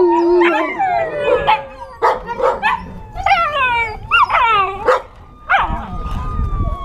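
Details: Several 8-week-old American Tundra Shepherd puppies howl at a siren played on a cell phone, in overlapping high yelps swooping up and trailing down, with the thin steady electronic siren tone faintly behind.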